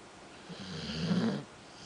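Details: Sleeping dog Tawny lets out one deep snore, a rough low-pitched rattling rumble lasting about a second that swells, wavers, then cuts off into quiet breathing.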